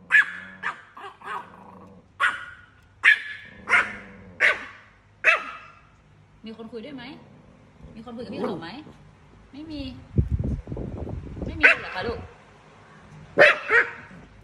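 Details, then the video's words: A Chihuahua barks at a cat in quick runs of sharp, bright yaps, six in the first five seconds, then a pause filled with a woman's Thai chatter and rustling before a few more barks. "Cute Chihuahua Dog Barking At A Cat"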